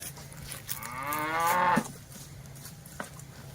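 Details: Village cattle from a herd active in a green grass field give one long, rising moo lasting about a second. The low, droning tone carries strong harmonics and ends abruptly. A faint outdoor hum sits underneath.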